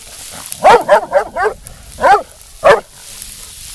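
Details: Female black and tan coonhound, almost two years old, training for the show ring. A quick run of four clipped barks, then a pause and two more single barks, each bright and tonal with a sharp onset.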